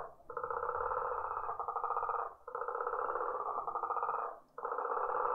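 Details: A large-spotted genet (Genetta tigrina) in a suburban garden in Pretoria, South Africa, gives three long, buzzy, rasping calls of about two seconds each, with a steady throbbing texture and brief pauses between.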